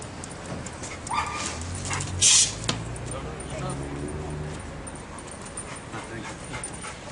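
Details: Labrador Retriever led off-leash by its owner during obedience training; short yips and whimpers with one loud, sharp bark-like burst midway, while people talk outdoors.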